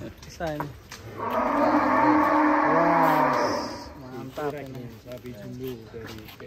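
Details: One of the three unusual, hefty cows at GST Farm gives a long, full-throated moo of about two seconds, swelling then fading, framed by people chatting before and after.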